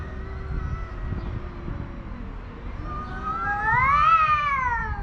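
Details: Stray tomcats, including a tuxedo male, face off over a female house cat without fighting physically; a low sustained growl-like yowl gives way to a loud rising-then-falling wail near the end, with faint background rumble.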